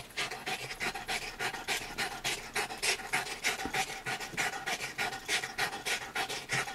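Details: Female dog, described as a canine artist, working in her home studio in Brooklyn, New York; steady rapid panting, roughly three breaths a second, airy and rhythmic with no other clear sounds.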